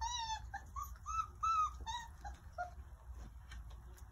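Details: Four-week-old Irish Setter puppies enjoying lunch outdoors in the sun; a run of about six high-pitched, whining whimpers that rise and fall in the first two and a half seconds, then a few softer squeaks over a low background rumble.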